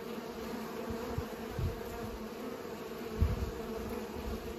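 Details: Pollinating bees make a continuous buzzing drone, interrupted by a few low thumps and bumps from wind or handling.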